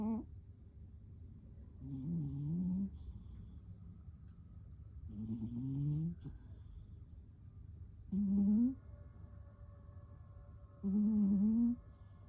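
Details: Sleeping cat snoring loudly, four voiced, slightly rising buzzy snores spaced about every three seconds, each under a second long, over a low steady background hum.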